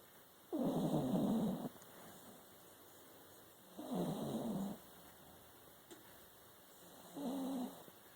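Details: Trixie, a pet dog, snoring while asleep: three rough, drawn-out breaths roughly every three seconds, each a low rasping rumble lasting about a second, with quiet pauses and a faint steady hum behind.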